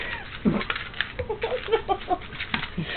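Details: Sammy, an eight-year-old Pomeranian-Chihuahua mix dog, indoors making short high whimpering whines and squeaks in a quick broken series while a person praises him as a good boy.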